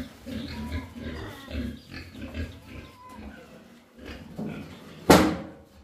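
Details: Pigs being raised again on a farm after African swine fever; soft, low grunts repeat irregularly, then a sharp loud bang near the end.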